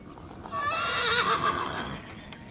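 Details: Male miniature horse scratching his itchy behind on a bolt sticking out of a fence post, letting out a wavering, high whinny of about one and a half seconds that rises, then falls away, with faint rustling around it.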